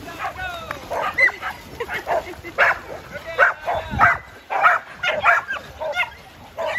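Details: Jed, a tri-colour Border Collie herding dog nearly seven years old, barks on a farm to hurry people along. Sharp barks come in quick succession, about one or two a second, at uneven intervals.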